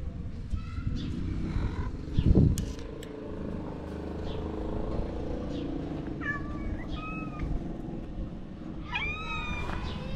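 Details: Homeless street cats in Morocco begging for food, giving cute meows. Steady low traffic-like rumble throughout, a thump early on, then two separate bursts of wavering, slightly falling meows in the second half.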